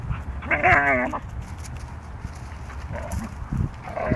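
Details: Delta and Molly, two Siberian Huskies, wrestling: one lets out a half-second wavering, whiny yowl rich in overtones, followed by softer grumbles and short huffs.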